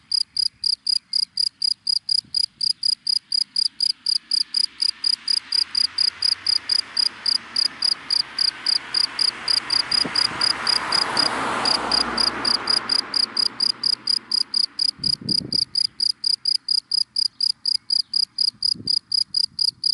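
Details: Cricket in dry grass by day chirping continuously in quick, regular high pulses, while a passing car swells to a roar around the middle and fades away again.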